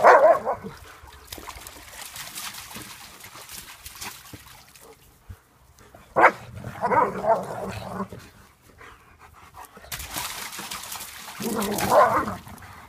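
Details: German Shepherds playing in a pool: three bursts of loud, whining barks, at the start, in the middle and near the end, separated by quieter stretches of splashing water.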